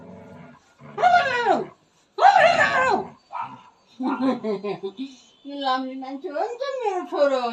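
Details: A jealous male pet dog, angry and complaining indoors after smelling other dogs on his owner, makes two long, loud, wavering whine-howls that fall in pitch, then shorter talking-like yowls mixed with human speech.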